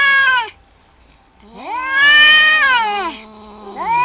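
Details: Outside a home, two male cats in a territorial fight trade long, rising and falling caterwauls; a short cry, a pause, then a sustained swelling howl that slides downward, and another rising wail begins.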